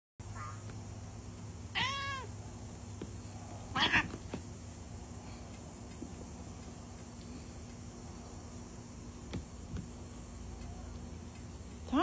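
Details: A Lilac Point Siamese cat, one of twins, gives a short, tonal meow, then a harsher cry, over a steady indoor hum.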